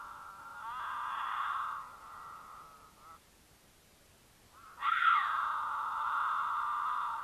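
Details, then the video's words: Female mountain lion in heat in Utah calling to attract a male during courtship, picked up by a camera on their travel path; two sustained, strained yowls with wavering harmonics, separated by a quiet gap of about two seconds. "The Unforgettable Sound of a Mountain Lion Caterwaul"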